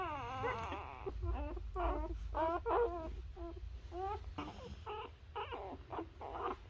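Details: Newborn Labrador Retriever puppies nursing on their mother, giving high whining, wavering squeals in quick irregular runs, several overlapping, with a low rumble underneath.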